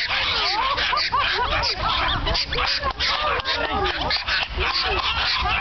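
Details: Many eager Norfolk Terriers waiting to race at the Dutch Norfolk Terrier Club's annual meeting yelp and yap nonstop, their short rising-falling cries overlapping in a frantic chorus against loud background din.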